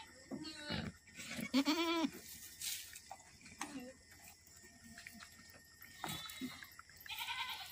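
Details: Boer goat on an Aceh farm during a twin birth; a loud wavering bleat with rich harmonics peaks early, followed by softer short bleats and a later bleat near six seconds, with some human voices and handling noise.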